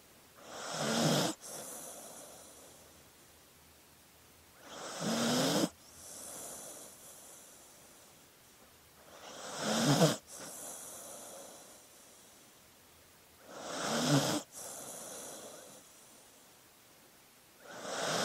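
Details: Snoring from a dozing dog, a regular cycle of five raspy, rising inhalations about every four and a half seconds, each ending in a sudden stop, over faint background hiss.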